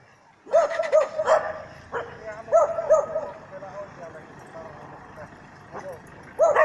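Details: Dog barking at a mechanical bear in training at Jokela, Finland; clusters of quick, ringing barks in twos and threes, then quieter scattered yaps, with a human voice in the background.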